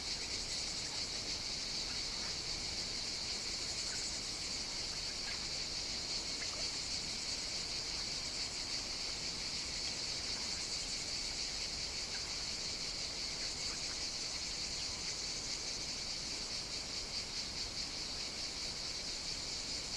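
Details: Many cicadas singing through a hot Mediterranean summer day on Evia, Greece: a continuous shrill, rasping drone with subtle pulsing, a few faint clicks scattered through, otherwise uniform.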